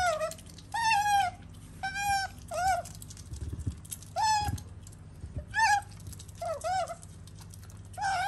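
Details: Sakura, a female otter living as a pet, makes a rapid string of short, bending tonal calls, about nine in eight seconds, with soft low thumps and handling noise in the room.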